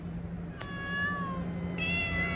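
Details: Cat meowing outdoors while a man asks in Hindi if anyone fed them: a falling meow, a click, then a second meow starting, over a steady low hum.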